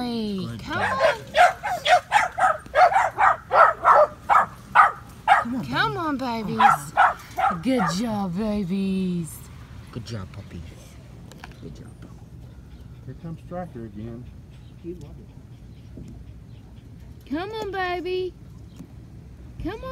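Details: A quick string of sharp puppy yips, about two and a half per second for eight seconds, then quiet and a final wavering whine; five-week-old Patterdale Terriers trying out a PVC earth tunnel.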